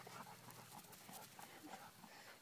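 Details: Golden retriever playing fetch, with a second dog repeatedly mounting him; quick rhythmic breathy pants about three per second over a steady low outdoor hum.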